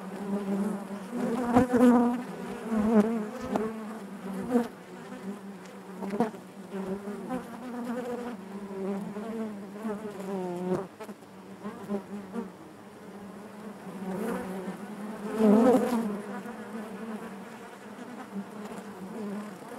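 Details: Honey bees humming in their hive, a continuous buzzing drone that surges loudly at the start and again near the fifteenth second, with wavering tones and soft clicks between.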